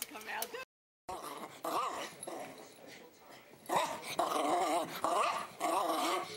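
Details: Poodle making whining, wavering vocalizations with a tonal, warbling quality in several bursts, mixed with a person's voice speaking nearby indoors.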